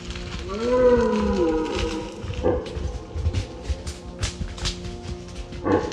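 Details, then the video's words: Red deer from a professional sound effects library of roaring and barking. A single moaning harmonic call lasts about one second, rising then sagging. It is followed by scattered clicks, rustles and a few short noisy bursts. "Red Deer and Roe Deer sound effect"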